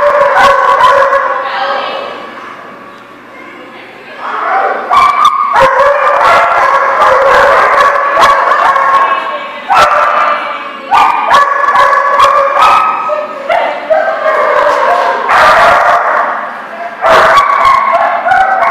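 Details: Several dogs in a barking lot, recorded 6/11/18, giving dense, overlapping bursts of harsh barks and yips, several per second with brief lulls, plus some voices underneath.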